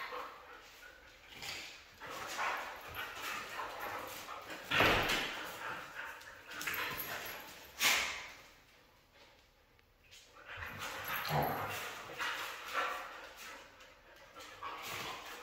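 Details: Red female Siberian husky producing a series of rough, breathy yips and whines, with sharp louder peaks near five and eight seconds and quieter grumbling between them.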